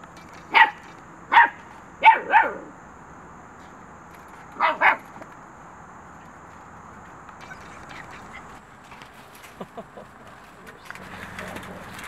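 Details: Standard coated male Xoloitzcuintli barking: sharp single and double barks spaced about a second apart, then a pause, another quick pair, followed by steady background hiss, faint knocks and a man's voice.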